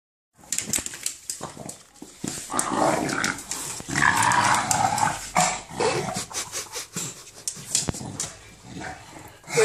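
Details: English Bulldog named Enzo growling with a monster-like, gremlin sound while playing with a ball; rough broadband grumbling with whimpery yips in bursts, a person talking to him nearby.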